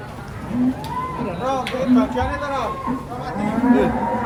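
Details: Agitated bull coming down off a truck, giving several drawn-out, wavering moos with rising and falling tone, mixed with people talking and background music.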